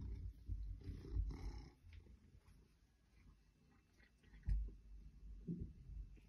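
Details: An 8-year-old female Maine Coon cat purrs with a soft, low, steady rumble while rubbing against fake plants, broken by rustling bumps.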